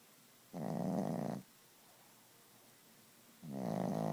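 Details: Gidget, a Chihuahua fast asleep, snores loudly: two long, harsh, rattling breaths about three seconds apart, each nearly a second long and fluttering rapidly, with quiet pauses between.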